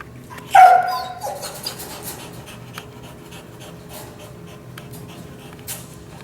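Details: Dog with kennel anxiety during training with a prong collar, giving one sharp high whine that breaks into a wavering falling tone, followed by soft panting and faint rustling in a quiet room.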